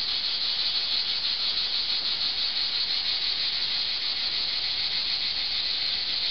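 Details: Cicadas singing in summer under an old olive tree in Archangelos, Rhodes, Greece produce a dense, unbroken high buzz that holds steady throughout.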